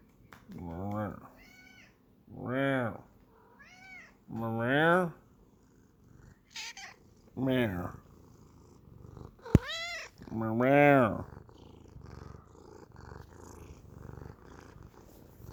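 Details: Rosie, a nearly five-year-old Sphynx cat who never meows, gives drawn-out, wavering growls with a rough, moaning tone, her usual way of talking.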